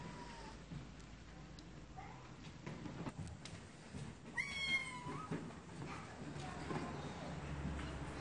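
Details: Cats meowing, faint mews early on and one loud sharp meow midway, amid low hum and scattered knocks and rustling.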